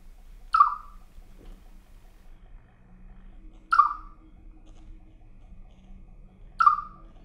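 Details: Pet Siberian chipmunk 'singing' in 2017: three sharp, short chirps, each dropping slightly in pitch and spaced about three seconds apart, over a faint low hum.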